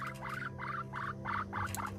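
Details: Squeaky bursts from Pipsqueak, a male rescue guinea pig, come in a regular series of six or so chirping pulses, each a little buzzy, against a steady background hum.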